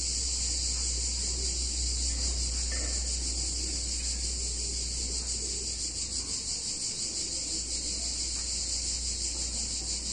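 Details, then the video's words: Chorus of cicadas in a picturesque Italian town on a hot summer day, their shrill continuous buzz droning without pause above a low background rumble and scattered faint knocks. "Cicadas In Warm Summer Day In Italian Town"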